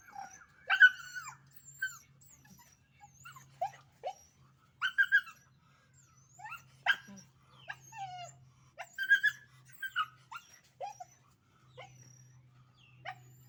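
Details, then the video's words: Puppy dogs scuffling and fighting: bursts of sharp yelps, squeals and small barks every second or so, mixed with whimpering whines, a steady low hum in the background. "puppy dog fighting original sound natural scene"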